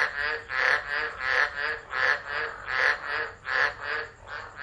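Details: Frogs singing through a tropical low at Driver in Australia's Northern Territory, 13 December 2013: regular swelling bursts of harsh, buzzy croaking, roughly seven waves in under five seconds, several animals calling together.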